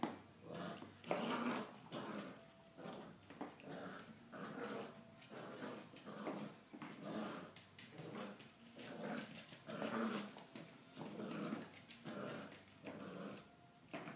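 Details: Three-month-old Staffordshire Bull Terrier–Miniature Australian Shepherd mix puppy indoors, working out and building muscle; low rough growls come in bursts roughly every second or so, with scuffling and thumps in a small room.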